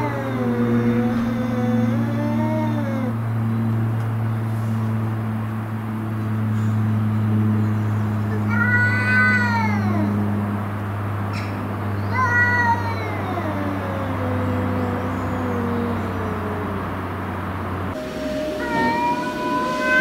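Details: House cats confronting intruder cats in a fight, long wavering yowls rising and falling in pitch, several overlapping moaning wails spread across twenty seconds, with a steady low mechanical hum throughout most of it.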